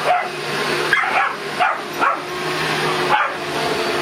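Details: A Boston Terrier confronts a vacuum cleaner with about five quick, yappy barks spaced roughly half a second to a second apart, almost drowned by the machine's constant whirring drone.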